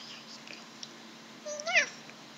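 A Maine Coon cat gives a single short meow that rises and then bends downward.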